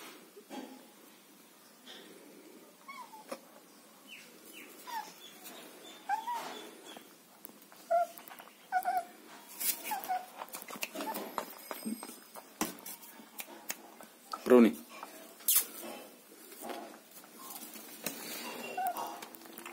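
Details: German Shepherd puppies offered for sale in Chennai: short, thin, high whimpers and squeaks scattered irregularly, one louder rising whine midway, over steady rustling and clattering handling noise indoors.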